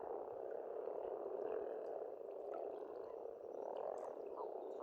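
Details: Crowded frog chorus from an Estonian farm pond in spring, a dense rolling croak that swells and dips slightly, with only faint bird notes in the background.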